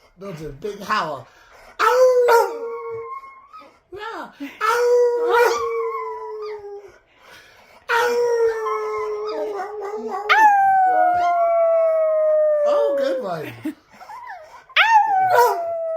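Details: Chihuahua howling indoors alongside a person, long sustained tones gliding slowly downward, several drawn-out howls separated by short breaks, with overlapping human voice howling along.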